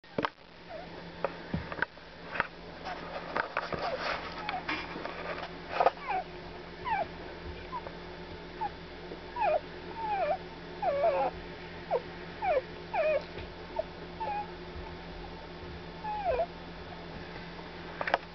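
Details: A litter of newborn Weimaraner puppies, less than 12 hours old, give thin, squeaky cries that rise and fall in quick bursts.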